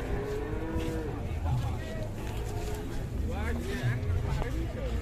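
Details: Raging cow handled by three handlers, giving a low, drawn-out harmonic moo near the start, followed by overlapping human voices and the rumble of engine noise.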